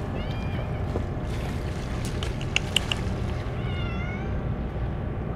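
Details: A short meow opens, then a sharper rising meow near the end from a group of stray cats being hand-fed churu treats; clicks and taps in between, with a continuous low rumble.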